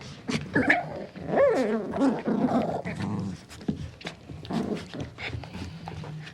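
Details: A puppy growls and whines, with rising and falling squeaky whimpers layered over low rough growling, uneven in rhythm throughout.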